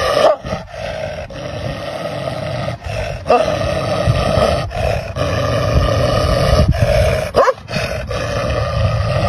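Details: Angry dog snarling almost without pause, a harsh, rough, rumbling growl that stays loud throughout, broken by a few brief gaps and sharper yelp-like catches.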